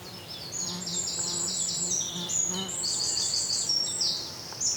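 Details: Indian flying foxes feeding on Ashoka seeds in Pune, Maharashtra, give shrill, overlapping squeals and chittering screeches in quick succession, with a low hum beneath.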